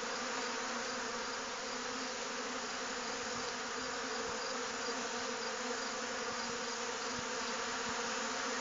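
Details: A dense swarm of honey bees robbing a weaker hive in a dearth, including a swarm hived only days before; an unbroken, even drone with a low steady hum and a thick, hissing wash of wingbeats throughout.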